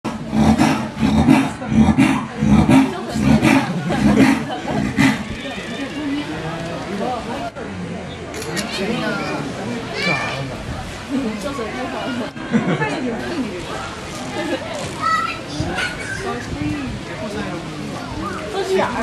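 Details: Persian leopard at Higashiyama Zoo, Nagoya, Japan, in January 2014, giving a series of deep rasping roars, repeated rapidly in the first five seconds, then visitor chatter and crowd voices dominating the rest.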